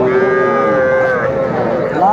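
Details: Young Sahiwal calves, small bulls and heifers, at a cattle market where a farmer from Barisal buys them on 8 May 2024; a loud, drawn-out, steady moo lasts about two seconds and rises slightly at the end.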